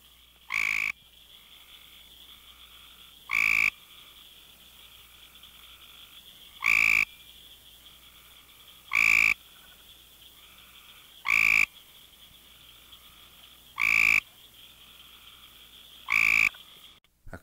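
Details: A great tree frog recorded at Monett, Missouri, gives short, pulsed trills about every two to three seconds.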